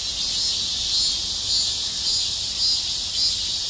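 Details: Cicadas in chorus on a hot, windless summer day, around 32°C, on a shaded forest walking path, thought to be the late-summer cicadas; a dense high-pitched buzzing drone that swells faintly about twice a second.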